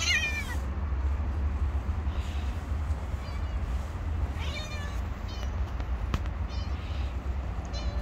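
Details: Stray cat on the street calling with several short wavering meows, one at the start and more in the second half, over a continuous low traffic rumble and a sharp click.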